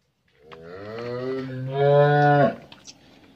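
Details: A 15-month-old Friesian heifer calf on a Bangladeshi dairy farm gives one long, steady, low moo of about two seconds. It swells louder toward the end, then cuts off sharply, followed by a few faint knocks in a quiet indoor space.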